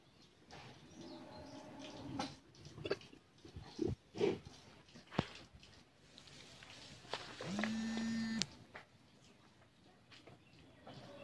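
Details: A 15-month-old Friesian heifer on a Bangladeshi dairy farm gives a single steady, level moo of about one second, preceded by scattered knocks, clatter and faint indoor background noise.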